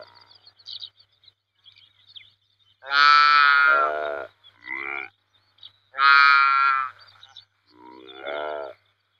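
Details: Saiga antelope giving loud, nasal, harmonic bleats in two strong pairs, each a long call followed by a shorter, lower one, with quieter faint calls between them.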